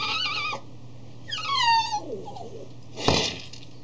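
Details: Piteous crying from a 3-year-old male Cavalier King Charles Spaniel facing his food dish, which he bangs around with his nose. A high wavering whine is followed by a longer falling whine, then a sharp knock of the dish.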